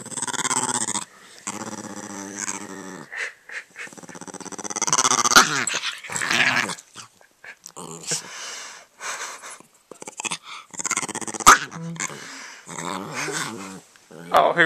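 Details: Sophie, an Italian greyhound, growls in wavering, rising and falling grumbles while playing with her owner, who speaks between bouts.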